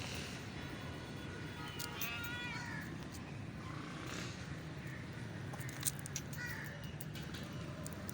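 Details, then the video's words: Blue-eyed street cat making cute noises: a few thin, rising-then-falling meows around the middle, over steady low rumbling background noise with scattered clicks. "Blue Eyed Street Cat Making Cute Noises."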